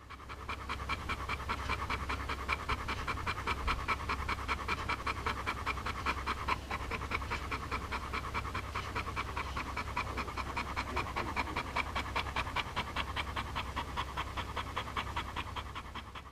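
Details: Dog panting heavily after playing ball, breathing so loudly it sounds like a train: rapid, rhythmic, breathy puffs at about 150 per minute, steady and unbroken throughout, over a low constant hum.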